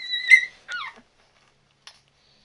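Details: Ten-day-old Labrador Retriever puppies from Tori's litter: a high, clear squealing whine that holds steady, then breaks into a quick falling whimper, followed by a tiny click-like squeak after a pause.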